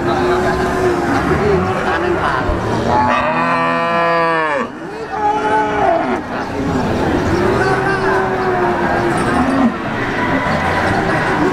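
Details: Peranakan Ongole cattle at the Wagenan livestock market in Pati: a long, loud, harmonic moo bending down in pitch around the middle, over steady crowd chatter and market noise.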